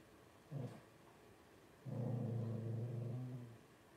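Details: Twelve-day-old Blenheim Cavalier King Charles Spaniel puppy, one of a litter of five: a short low grunt comes first, then a longer deep, throbbing moan lasting almost two seconds that fades out gradually.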